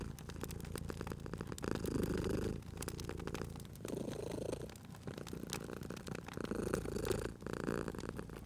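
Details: Purring cat resting at a crackling fireplace; soft, throaty vibrating purr pulsing in breath-length surges, accompanied by a continuous patter of small fire snaps and pops.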